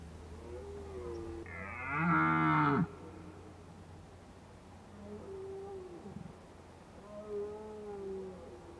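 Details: Red deer calling in Krasny Bor, 1 October 2015, in Indian-summer autumn weather: one powerful, rough bellow lasting over a second, followed by softer, more distant moaning calls over a steady low hum.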